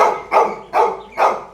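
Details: Toby, a Labrador Retriever, in a morning scene at home: four short, hoarse barks about every 0.45 seconds, each fading quickly, with a person calling his name between them.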